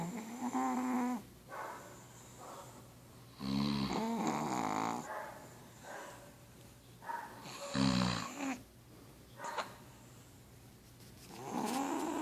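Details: Sleeping pug snoring next to its owner: loud, gurgling, harmonic snores in irregular bursts, about sixteen per minute, each a throaty rattle with snorting edges, separated by quieter breathing.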